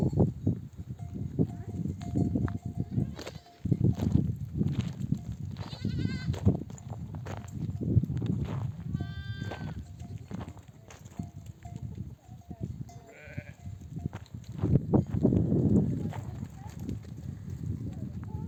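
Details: Nomadic flock of mother sheep returning from desert pasture, bleating to call their lambs to nurse; several wavering, harmonic bleats rise above a constant low rumble of the moving flock and shuffling, with scattered clicks and knocks throughout.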